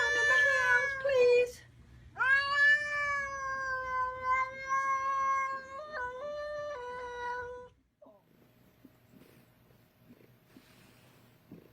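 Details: A woman coaxes an upset female cat, asking if she is ignoring mommy, and the cat replies with sustained, whining meows, one long held note with a sudden pitch break, then silence.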